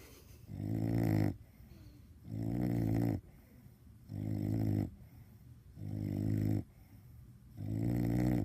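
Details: Bulldog named Caine asleep wearing a cone, giving deep raspy snores in a regular rhythm, five buzzing inhalations separated by short quiet breaths in a small room.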